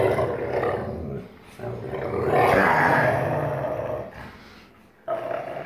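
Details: Wolfdog father (44% wolf) and son (56% wolf) in dominance growl play, 1 August 2018: loud, harsh roaring growl swelling to a peak, then a brief pause and another gruff burst.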